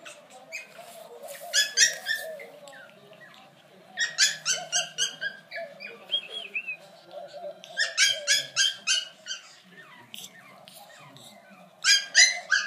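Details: Brussels Griffon puppies squeaking: bursts of high, thin squeals and yips in rapid clusters, several animals calling over one another, pausing briefly between bursts, with a low steady hum behind.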